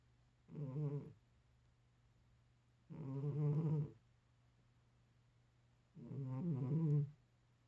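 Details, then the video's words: Snoring from a 13-year-old cat asleep: three drawn-out, low, buzzy rasping breaths, each under a second long, spaced roughly every three seconds, over a faint constant background hum. "13살 고양이 코골이"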